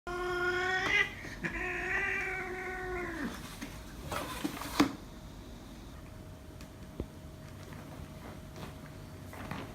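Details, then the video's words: Two cats fighting, one making strange sounds: a loud, drawn-out harmonic yowl for about three seconds, then sharp hisses and bursts, followed by quieter scuffling noises. "Epic cat fight!One of them make strange sounds"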